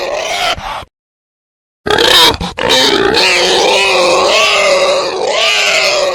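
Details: Call of a male wild boar: a short harsh squeal, a sudden silence, then a long rasping squeal that rises and falls in pitch, with a few choppy breaks.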